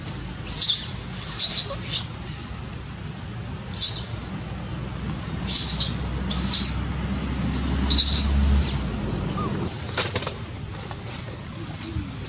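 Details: Loud crying from baby monkey Dito while mother Daisy disciplines it: piercing, scratchy squeals in short clusters with gaps between, then fading to quieter scattered sounds and a low rumble toward the end.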